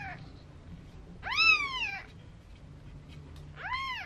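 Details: Four-day-old Maine Coon kitten at a Tokyo cattery, giving two high, arched meows, the first longer and rising then falling, the second short and quick, over quiet low indoor hum.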